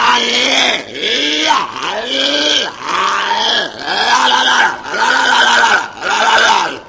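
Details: Walrus giving a series of loud, hoarse, arched grunting calls, about one per second, each swelling and falling in a rough bellowing tone.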